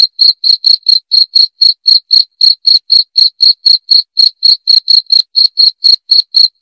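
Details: Rat-repelling cricket sound: a single cricket's bright, shrill chirps in a fast, even train of roughly four per second, with no other noise behind them.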